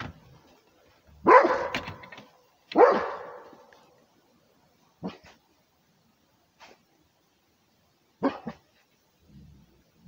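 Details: Rhodesian Ridgeback barking to guard its territory: two loud, harsh barks close together near the start, then a few shorter, fainter barks spaced several seconds apart with quiet gaps between.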